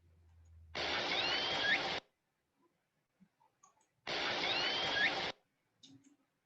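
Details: A Southern Resident killer whale gives a rising, squealing pulsed call, heard twice through heavy underwater hiss. It is one of the pods' family-specific favourite calls (J-pod S1, K-pod S16 or L-pod S19).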